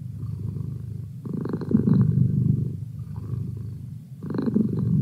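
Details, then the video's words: A male domestic cat purring indoors, a low rumbling vibration in two longer swells separated by quieter, softer stretches, steady and close. "Cat Purr"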